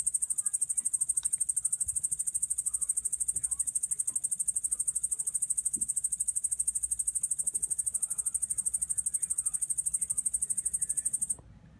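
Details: Japanese shield-backed katydid from Kyushu, Japan, singing a continuous high, hissing stridulation made of rapid, evenly spaced pulses, about three per second, that holds steady for about eleven seconds and then stops abruptly near the end.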